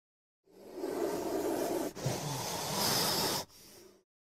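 A king cobra gives a harsh, breathy hiss, a rasping rush of noise broken into three bursts over about three and a half seconds.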